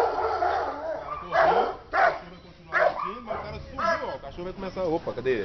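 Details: A Belgian Shepherd guard dog, during attack training, gives loud, deep, abrupt barks in short bursts while a man talks over it.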